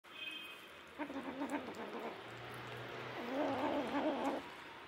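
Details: Stray mother cat caring for seven kittens, five of her own and two adopted orphans; low, quiet harmonic meows, one around the first second and a longer drawn-out one near the end, against a faint hum.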